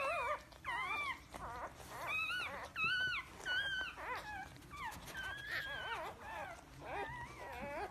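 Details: Whimpering Pomsky puppies of husky and Pomeranian mix give wavering, up-and-down whines in quick succession, several voices overlapping with brief breaks between cries.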